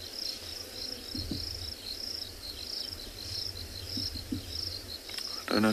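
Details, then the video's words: Overcast afternoon after rain in a South African game reserve, with many crickets out; a high pulsing chirp runs steadily, broken by a few low thuds and a brief louder rustle at the end. "if you can hear all the crickets crawling around us with it being so overcast"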